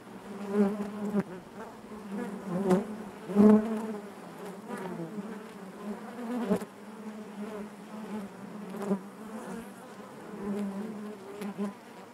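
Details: Honey bees buzzing inside their hive: a dense, steady hum with a strong low drone, swelling and fading in irregular pulses as individual bees pass close, with faint clicks and bumps between swells.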